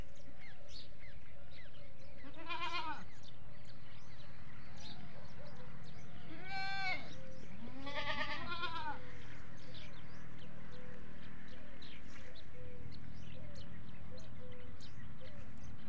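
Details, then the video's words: Desi goats and young kids on a goat farm; three harmonic, quavering bleats sound around the third, seventh and eighth seconds, amid a constant low rumble and softer background bleats from other goats. "Beautiful Bakri Ka Awaaz || Goat Sounds At Goat Farming"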